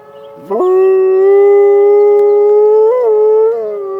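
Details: Malamute Great Dane mix dog howling in response to emergency sirens: one loud, sustained, even howl of about three seconds that rises gently, wavers briefly, then eases down.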